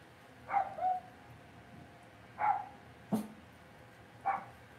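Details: Cavalier King Charles Spaniel puppies in an indoor home pen give four short, bright yips spaced about a second apart over a quiet room background.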